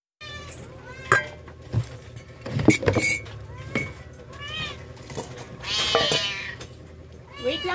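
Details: Several rescued domestic cats meowing at lunchtime feeding: short rising-falling meows scattered through the clip, one longer drawn-out meow near the end, over soft background music, a woman speaking Tagalog, and clatter.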